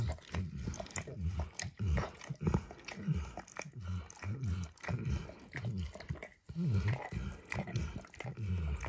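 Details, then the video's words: Max the dog keenly licking an orange textured mat with eggs and diluted peanut oil; rhythmic smacking laps roughly every half second, a brief pause near six and a half seconds, then licking resumes. "ASMR Dog Licking"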